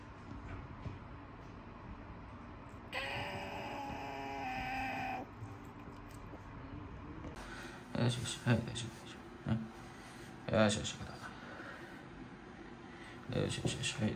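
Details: Sango, a female third cat (a former stray met in a park in summer 2013), yowls while being shampooed indoors: one long, drawn-out, harmonic wail lasting about two seconds, amid a person's steady soothing talk and splashing, handling noises.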